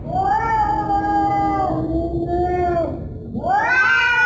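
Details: Cat yowl heard as one long, steady, nasal wail that slowly sags in pitch, then breaks off and starts again with a sharp rising cry.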